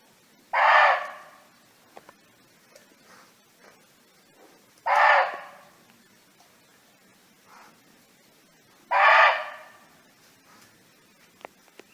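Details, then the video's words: Barking deer roaming free in nature, calling to companions: three loud, harsh, short barks, each about half a second long, spaced roughly four seconds apart, with a few faint clicks and quiet pauses in between. "เสียงร้องของเก้ง (Sound of Barking Deer)"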